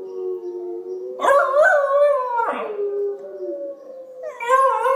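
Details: Zoey the Pembroke Welsh Corgi puppy howls along to recorded wolves from a computer, a steady low droning howl joined by higher rising and wavering howls, with a short yelping break midway.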